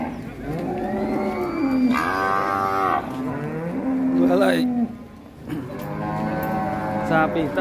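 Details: A sacrificial cow at Siyono Harjo market goes on a rampage as it comes down off a truck. Three long, drawn-out moos, each sliding downward at the end, sound over background chatter and a brief clatter.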